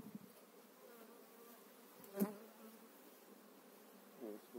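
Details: Honey bee colony humming steadily while a beekeeper inspects frames with pollen and brood during a spring hive transfer; one loud knock midway and a softer bump near the end.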